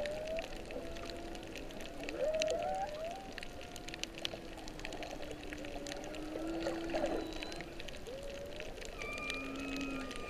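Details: Humpback-season whale song recorded underwater by a snorkeler's GoPro off Kihei, Maui, late whale season, March 15, 2016: drawn-out gliding moans and rising whoops, possibly during birthing, with thin higher dolphin whistles over crackling sea noise.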